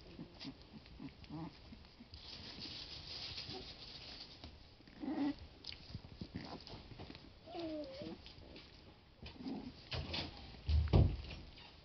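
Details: Boston Lab puppies, twenty days old, playing indoors; scattered short puppy squeaks and a brief whiny wavering call, with scuffling, rustling movement and a louder low thump near the end.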